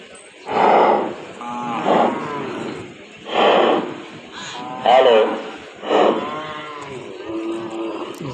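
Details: Cattle at a cattle and buffalo market in Bangladesh, where local crossbred calves are shown: drawn-out harmonic lowing calls rise and fall about once a second, interleaved with loud bursts of men talking and market crowd noise.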